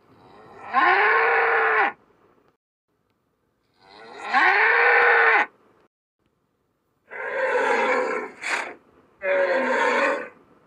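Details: Cape buffalo (Syncerus caffer) give loud, drawn-out moaning calls, each about a second long, with short pauses between.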